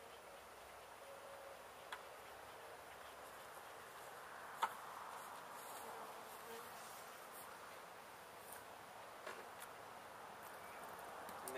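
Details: Honey bees from a gentle hive, established at least one season inside a house window in Edinburg, Texas, during a removal after being sprayed to keep them from flying; a steady, dense humming buzz fills the whole stretch, with a few faint clicks and taps.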